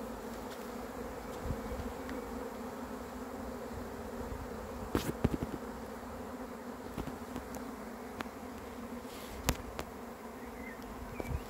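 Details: Honey bees swarming in, a constant mid-pitched buzzing hum overlaid by scattered knocks and clicks, the loudest around five and nine seconds.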